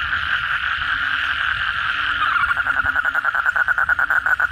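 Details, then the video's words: Night chorus of kodok bangkong, Asian common toads, after a heavy downpour: a continuous droning buzz from many animals gives way to a clear rapid pulsed trill that dominates the final two seconds. "suara kodok bangkong pada gacor setelah hujan lebat malam hari"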